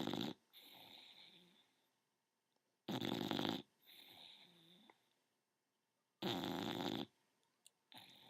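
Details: Young bulldog, ten months old, asleep indoors and snoring: loud raspy inhalations lasting under a second, each followed by a softer wheezing exhale, repeating about every three seconds in a quiet small room.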